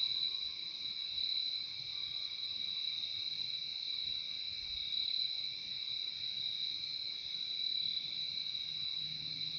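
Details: A chorus of crickets forms an unbroken, high, ringing drone, two steady bands of tone that hold evenly throughout, recorded as a calming nature soundscape with nothing else audible.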